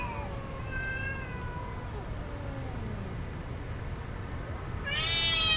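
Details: Same group of cats during mating, caterwauling in long wavering wails with gliding, overlapping tones that rise and fall, ending in a louder, sharper yowl over a steady low background rumble.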